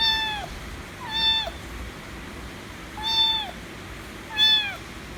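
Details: ['White domestic kitten meowing loudly, demanding affection; four clear harmonic meows, each falling at the end, spaced roughly one to two seconds apart in a quiet room.']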